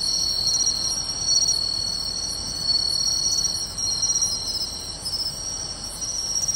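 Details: Summer-night chorus of pine crickets, bell crickets and other insects in beachside grassland at Tainai on 24 August 2020, a dense shimmering high trill layered with regular sharp chirps.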